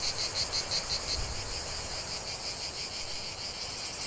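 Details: A chorus of cicadas in a lavender field fills the air with a dense, high buzzing drone, opening with short rhythmic pulses before settling into an even wash of sound.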